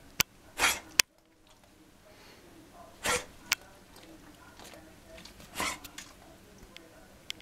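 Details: Welsh Springer Spaniel puppies from one litter, learning to bark, give their first short, breathy, high yaps, spaced a couple of seconds apart.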